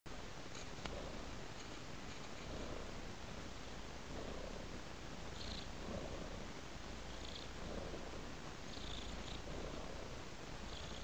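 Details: Tabby cat purring steadily, a low continuous rumble with soft pulses roughly every second and faint higher hissy breaths in a quiet small room.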